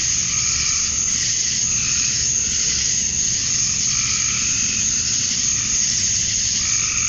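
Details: Outdoor chorus of male cicadas on a summer evening at dusk in Georgia, USA, calling for females; a constant high, sizzling buzz overlaid by rhythmic lower swells repeating about once a second.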